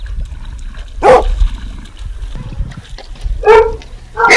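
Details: A dog barks three separate times, each a loud, abrupt burst with pauses of quiet low background noise between them.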